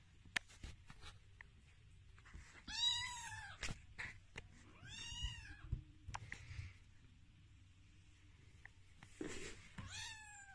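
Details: Baby Sphynx cats indoors, with three high, thin meows that arch up and then fall, each with bright harmonics, near three, five and ten seconds. Soft thumps and rustling sounds fall between the calls in a quiet room.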